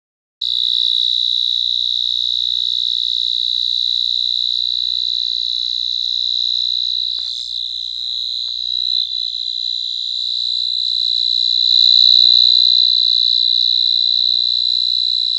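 A cricket trills steadily, a high, thin, continuous chirping that holds without pause.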